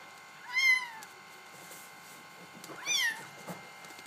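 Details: Two thin, high meows from Bengal kittens, the first clearer and the second fainter and shorter, separated by about two seconds of low room hum.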